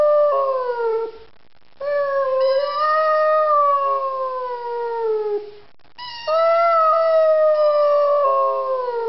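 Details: Zari, a Rhodesian Ridgeback aged three, sings in prolonged mournful howls that rise slightly then sag downward, three long phrases separated by breaths.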